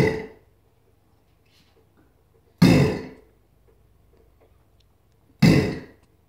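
A female Chinese alligator gives deep, rumbling bellows, each short burst spaced about three seconds apart.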